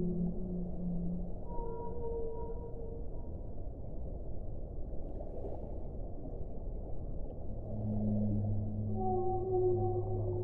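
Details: Whale song: short higher-pitched whistled tones early on, a quiet stretch of underwater rumble, then low humming moans and a higher held note returning toward the end.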